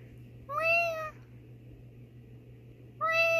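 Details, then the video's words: Nikita, a female pet cat, meows back indoors as her owner meows to her: two clear, tonal meows with a slight rise then level pitch, about two and a half seconds apart, over a steady low hum. "Cute Cat Talks Back to Me"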